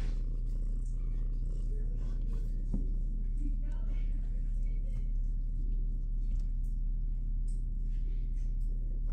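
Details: Minnow, a shelter kitten in the big kitty room, purrs in a continuous low rumble while being held. Soft human talk is heard in the background.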